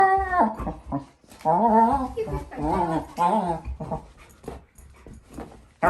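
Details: Four-month-old female German Shepherd puppy playing indoors with her bowl and making funny noises: drawn-out wavering whines and groaning vocalisations in bursts, with short pauses between, in a small room.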